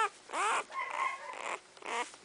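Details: Newborn Dogo Argentino puppies, born December 2009, sired by champion Apollo out of Legend Corazon De Baili, giving high, wavering squeals; three rising-falling whines with rich overtones, separated by a softer murmuring cry.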